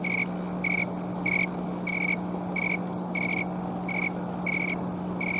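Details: Green tree cricket (snowy tree cricket) on a Colorado afternoon, October 11, 2022, late in the season, filmed with a camcorder while moving its wings to sing: clear high chirps about every 0.6 seconds, nine in all, over a steady low hum.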